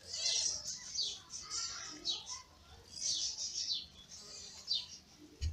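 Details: Newborn kittens of the ginger cat Lady Ginger, born in May, sleeping and fed by their mother; faint, thin high squeaks come in quick overlapping bursts against a soft low hum.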